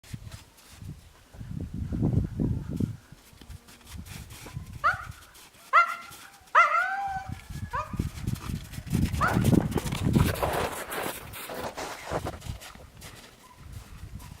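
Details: Yakutian Laika puppies giving a short run of high, squeaky yelps and whines in the middle, each sliding downward with bright overtones, surrounded by low rumbling handling and rustling noise.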